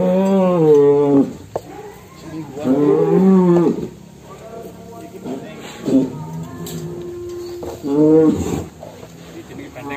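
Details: Cattle coming out of the pen, described as extreme. Three long, deep, drawn-out moos, each lasting about a second, are spaced across ten seconds, with a low rumbling call between them. Voices are heard in the background.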